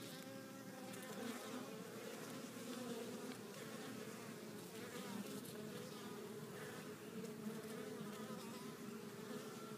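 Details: Honey bees flying into their hive bringing pollen of at least four different colours; a constant crowded drone of wings, with individual bees briefly rising louder as they pass close.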